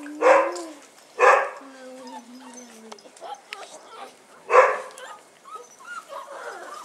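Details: First outing of Bull Terrier puppies on 18 January 2015: three loud, widely spaced yapping barks mixed with thin, wavering whines and low human voices in the background.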